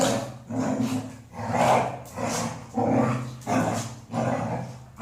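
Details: Golden Retriever, a female, giving five or six husky, throaty growl-like vocalisations in quick succession, each a rough swelling rumble close to one second long.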